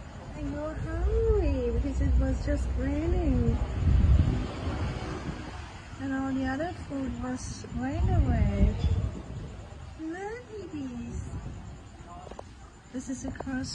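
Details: Stray city cats and kittens with no owner, meowing at feeding time: a string of about six arched, wavering meows repeated every couple of seconds, over steady wind, vehicle rumble and a talking voice.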